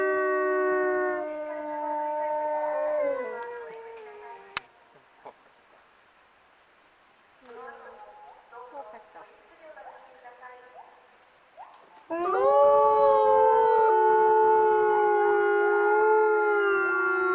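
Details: Wolves at Asahiyama Zoo, Hokkaido, Japan, three named Nochiu, Wakka and Rera, howling in response to the morning zoo announcement; long sustained harmonic howls that drop in pitch, a quiet gap with faint sounds, then loud overlapping howls resume.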